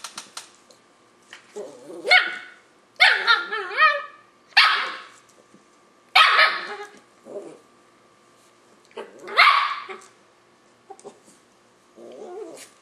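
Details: A 5-month-old Löwchen puppy named Nadia keeps barking at Tigger, a grumpy cat, to coax it into play: about seven bright, high yaps, some doubled, separated by pauses of a second or more, indoors.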